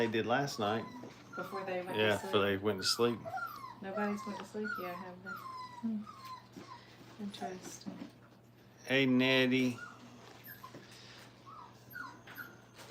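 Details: Five-week-old Brittany puppies in crate training keep up busy whimpering and yipping, many short rising and falling whines tumbling together, with one loud sustained cry near the end.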